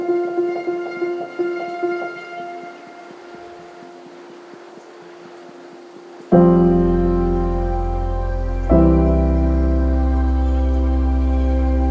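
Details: Slow piano notes ring and fade for six seconds, then loud sustained keyboard chords take over, with no animal voice anywhere.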